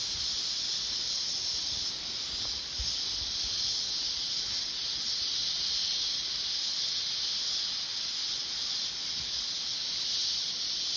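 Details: Winter cicadas high in the trees of mountain coffee plantations beside a stream fill the air with a steady, high, hissing drone that never pauses.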